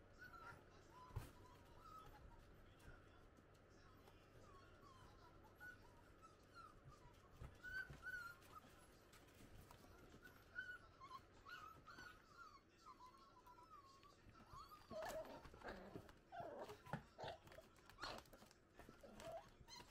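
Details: Six-week-old Italian Greyhound puppies playing outside their cage with a cardboard box; soft, high whimpering squeals and yips come in wavering runs, busier toward the end, over scuffling and low background hum.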